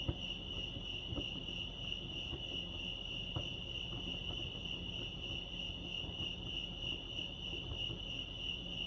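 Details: At Lake Arrowhead, California, crickets keep up an even, piercing trill with a gentle pulse, a constant high line over low background hum and a few faint clicks.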